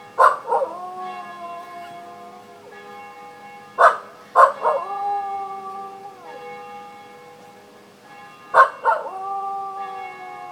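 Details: Welsh Terrier named Henry singing along with church bells; each pair of bell strikes is followed by a drawn-out howl that slides gently downward, repeating three times over steady bell hum.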